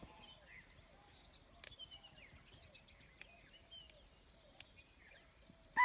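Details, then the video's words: A spotted deer gives a single sharp, shrill alarm bark on sensing a predator, after quiet forest ambience with faint birdsong, Pandharpauni, Tadoba Andhari Tiger Reserve, morning, 9 November 2017. "Spotted Deer - Alarm Call"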